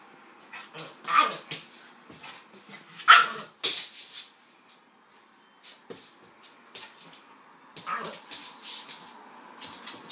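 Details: Pitbull and King Charles spaniel, Kaiser and Viki, at play together; sharp, high barks and yips arrive irregularly, roughly every two seconds, mixed with scuffling and a quiet pause midway.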